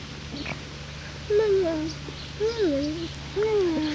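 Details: Six-week-old Lakeland Terrier puppies, born 5/29/18 to Octavia and Oscar, give three drawn-out tonal whines that rise and then slide downward, spaced about a second apart, over a low steady hum.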